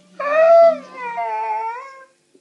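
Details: Tiggah, a female Saluki indoors, complains about her day: a two-second tonal howl, a loud steady note that drops into a softer, slightly wavering tail with rich overtones, then a brief click.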